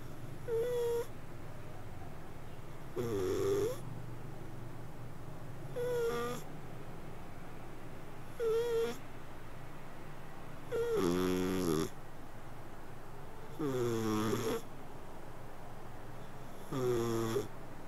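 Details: Cat sleeping and snoring: short whistly breaths that first rise slightly in pitch, then grow into fuller, rasping snores. They repeat about every two and a half seconds over a soft hum.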